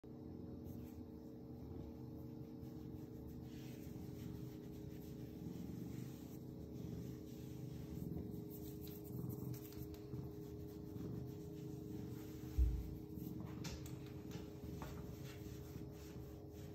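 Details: Ragdoll cat purring while its coat is stroked: a quiet, steady low rumble runs throughout, with faint soft rustling of hands on fur and one brief louder bump near the end.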